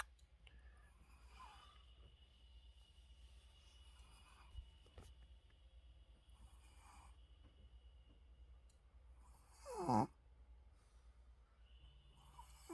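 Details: Shih Tzu dog asleep indoors with its eyes open, snoring: soft, breathy rasping snores return every two to three seconds, with one louder, snorting snore near the end of a quiet room recording.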